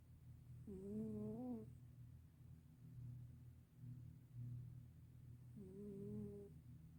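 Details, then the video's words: Black senior cat snoring up a storm while sleeping: two long, voiced, slightly wavering snores roughly five seconds apart, separated by a quieter, steady low breathing rumble. "Sweet Black Cat Is Snoring Up a Storm"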